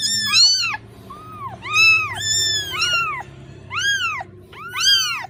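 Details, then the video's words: Motherless kitten crying for its mother with rapid, bent, arching meows, roughly seven in five seconds, loud and high-pitched, over a quiet low background hum. "The sonud of a kitten losing its mother(Suara anak kucing memanggil induknya)"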